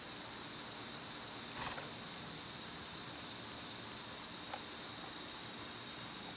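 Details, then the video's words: Cicadas singing loudly in summer, a steady high-pitched hiss-like drone that fills the air without a break, with a couple of faint brief chirps briefly showing through. "Birds & Squirrels w/ Cicada sounds"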